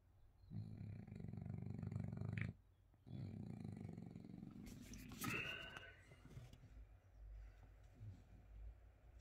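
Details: A sleeping French Bulldog gives two deep, buzzing snores of about two seconds each, then a brief higher squeaky sound and softer low rumbling breaths.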